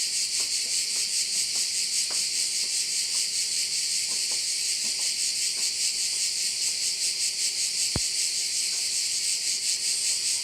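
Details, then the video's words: Crickets sing in a dense, high, pulsing drone over a bay on Korčula, Croatia. Light ticking and one sharp click near the end sit beneath the chorus, along with a faint low hum. "with sounds of crickets"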